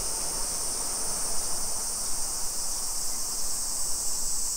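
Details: Cicadas in the Japanese summer, Nisshin city outside Nagoya, Aichi, on a July 2021 afternoon: an unbroken shrill buzzing wall of sound, even in loudness, over soft low street noise.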